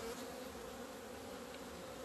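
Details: Sun-seeking honey bees leave the hive on 17 February 2020 after two months of winter; a steady buzzing drone with a bright upper tone and a few individual bees passing close, briefly louder.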